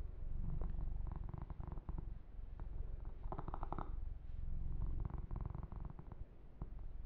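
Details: Yumak, a pet kitten, purring while being massaged, a steady low rumble pulsing at roughly four beats a second, with soft rubbing and fur-grooming brushing sounds layered over it.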